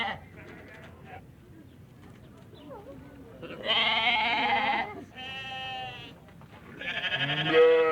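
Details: Baby goats calling over a low rumbling background: after several seconds of faint murmuring, three loud, drawn-out, quavering bleats follow one another closely near the end, the last rising slightly in pitch.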